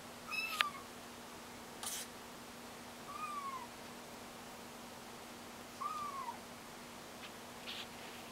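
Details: Kittens learning to walk mew indoors: three short, high, slightly arched calls, roughly every two to three seconds, with a few soft knocks and clicks and a steady low hum underneath.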